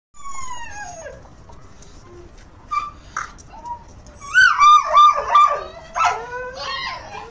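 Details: English Pointer gun dog whining: a long, high falling whine opens, followed by a few short soft yelps, then a burst of quavering whimpers that waver up and down, trailing into thinner whines at the end.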